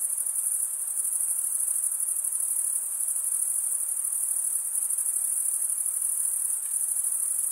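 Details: Crickets chirp in a constant high-pitched, finely pulsed trill, the males producing it by drawing one wing over the serrated vein of the other; the sound stays level throughout with no other noises.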